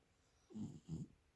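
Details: A feral stray cat in Northwestern Oregon sleeping peacefully on a person's lap, said to be in REM sleep: two soft, low, rasping snore breaths about a third of a second apart, in a quiet room.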